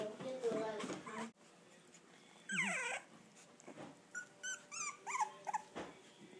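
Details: Four-week-old English Bulldog puppies, first time away from their mother, give high, wavering whimpers and squeaky whines in a cluster of short rising and falling cries, with a woman speaking softly over them at the start.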